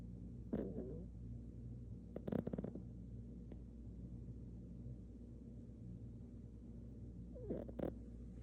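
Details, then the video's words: A sleeping dog snoring: low, steady rumbling breaths in a quiet room, with a few brief snorting bursts near the start and again toward the end. "댕댕이 코골이zZ"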